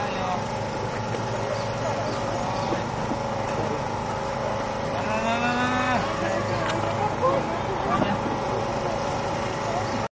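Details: Japanese macaque at Chikozan Park Children's Zoo, Japan, on 12 March 2023: one drawn-out, tonal, slightly rising call around the middle, set against steady background hum and crowd noise.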